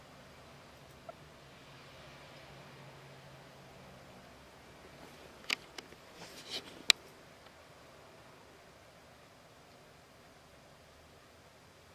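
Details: Near silence in a small indoor room, broken only by a few faint clicks and rustles midway.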